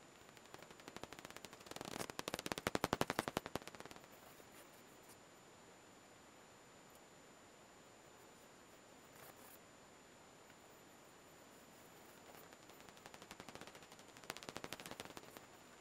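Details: Daubenton's bats leaving the roost on 12 June 2021. Bursts of quick, dry ticking clicks come around the second and fourth seconds, then a faint pass, and again near the end, with quiet hiss between passes.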